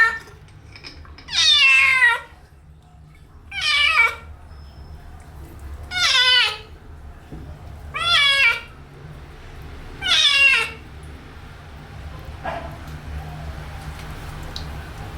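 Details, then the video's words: Kitten meowing while being washed for the first time: five loud, high, wavering meows that fall in pitch, spaced about two seconds apart, followed by several seconds of quieter background with a low steady hum. "Wash My Kitten First Time | Meowing kitten Sound effects"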